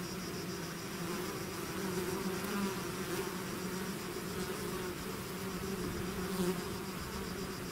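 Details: Natural buzzing of a bee swarm out of its hive: a thick, constant drone with steady low and higher tones, and passing individual insects briefly rising above the mass.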